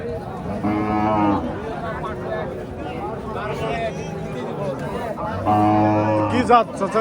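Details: Two loud, harmonic moos from Friesian cattle at a market in Bangladesh, the first near the start and the second about four seconds later, with people talking between them.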